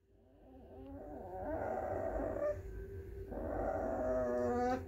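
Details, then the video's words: A 4-week-old bloodhound foster puppy grumbles in low, throaty, wavering moans that swell and fade. "Grumbling 4-week-old bloodhound foster puppy"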